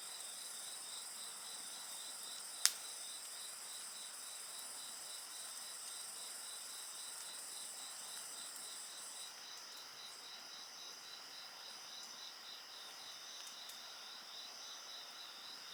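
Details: Insect voices beside a bonfire: a continuous high ringing chorus with one voice pulsing rhythmically in quick beats, interrupted early by a single sharp crackle from the fire; the upper layer of the chorus drops away partway through.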